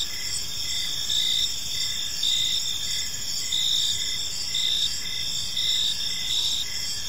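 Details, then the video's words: Gentle chirping of park crickets at evening, heard as a shrill continuous buzz with rhythmic pulses of chirps swelling and fading roughly once a second, backed by a faint low-frequency murmur. "Park Serenade: Cricket Sounds in a Peaceful Park | Evening Ambience"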